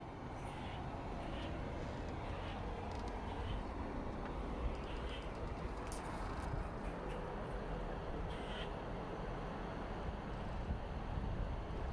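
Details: A continuous low rumble like a vehicle or train fills the recording. Only faint scattered ticks and clicks rise above it, and no clear animal call can be picked out.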